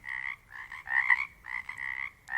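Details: Many Pacific chorus frogs heard together in the Pacific Northwest: harsh, buzzy croaks repeated in clustered bursts, some louder and nearer, others fainter, with an unbroken hum of the wider chorus filling the gaps.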